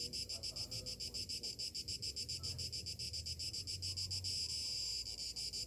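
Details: Cicadas singing on a summer morning in rhythmic, shrill pulses that blur toward a near-continuous buzz late in the clip, backed by a low rumble resembling wind or distant traffic.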